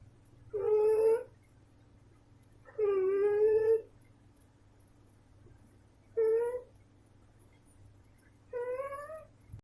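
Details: Snoring female cat named Tiffany: four whistling, slightly wavering tones, each under a second, coming every two to three seconds in a breathing rhythm, over a quiet, steady low hum.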